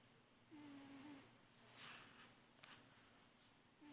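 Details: Sleeping pet cat Felix, a fat male, gives one clear, flat whistling snore lasting under a second, followed by soft breathy exhalations in a quiet room.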